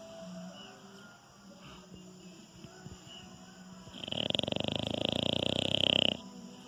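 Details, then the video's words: A very docile pet French Bulldog snoring while asleep; after quiet breathing, a rapid rattling snore burst lasting about two seconds, pulsing quickly with a buzzy texture, then quiet again. "Cachorro Bulldog Francês roncando. Ronca enquanto está dormindo."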